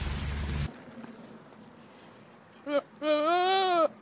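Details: Goat from a compilation of funny goats: a burst of loud noise, then a short clipped bleat and a longer, strained, wavering bleat with rich harmonics that rises slightly and falls away.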